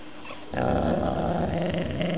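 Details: Sashi the dog guarding her new knuckle bone with a Chewbacca-style noise: after a brief quiet start, a sustained, harsh, rumbling growl with a moaning tone fills the rest of the moment.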